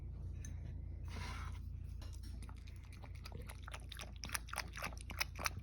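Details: Toy poodle, a teacup-sized pet dog, drinking goat milk indoors and gulping it eagerly: quick wet lapping clicks, about four a second, growing sharper and louder in the last seconds over a steady low room hum.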